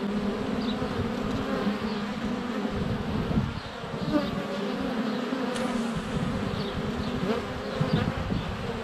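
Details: Honey bees in flight at a hive entrance on a sunny February day, filmed up close with a GoPro Hero 7 Black, some landing on the camera: a dense, steady droning hum with shifting tones, brief louder swells as bees pass near.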